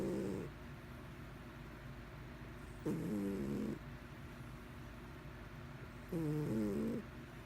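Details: Domestic cat snoring: rhythmic, buzzy, rough-toned snores, each lasting about a second, come roughly every three seconds with quiet breathing gaps between, over a faint steady background hum.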